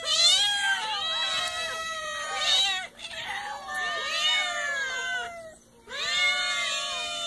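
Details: Several cats meowing in a row, loud drawn-out harmonic meows with rising and falling arcs, some overlapping, with short pauses near three and five and a half seconds.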